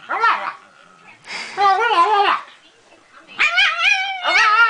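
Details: A Pekingese pet known for talking gives four drawn-out, wavering, moan-like yowls. Each has rich harmonics and is separated by short pauses. The owner's voice is barely present.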